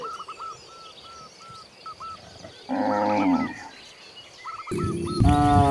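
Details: Cows wandering freely through open country; a full, resonant moo midway, then a louder drawn-out moo at the close, over a steady chorus of chirping birds.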